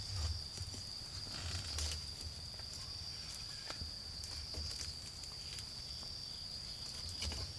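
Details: Steady high-pitched trilling of autumn insects on a night in a garden with a bonfire, fire crackles popping irregularly, and pulses of deep low rumble coming and going.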